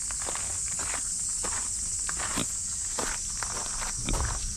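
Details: Loud cicadas drone in a steady, high, hissing buzz, with shuffling footsteps and rustles close by, around a female micro pig.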